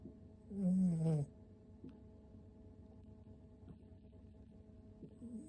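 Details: Oru-kun, a six-month-old toy poodle puppy, asleep and snoring like an old man: one loud, tonal, nasal snore lasting about half a second, sliding slightly downward, then quiet breathing and faint soft clicks.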